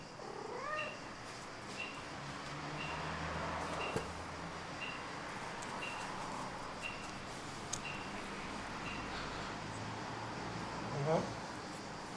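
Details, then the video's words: Indoor cat opening with a quick rising trilled mrrp, followed by quiet room noise with soft regular ticks, then a second brief rising call near the end. "Mrrp Meow Flop!"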